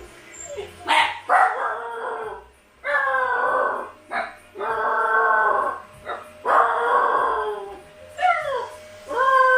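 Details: Siberian Husky puppies left home alone give a series of drawn-out, harmonic whining howls, some sliding down in pitch and others short and yelping, broken by brief pauses; a faint steady hum underneath.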